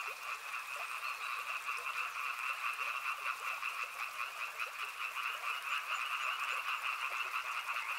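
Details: Many frogs near a river croaking together without pause, their stacked trilling calls forming two steady bands, a higher and a lower, fairly even in loudness, with a faint background hiss.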